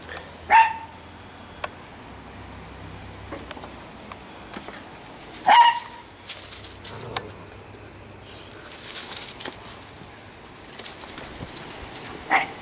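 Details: Fall outing of three quick female Italian Greyhounds named Shimmer, Sparkle and Speckle: isolated high barks about every five seconds, with scattered rustling and broadband noise between them.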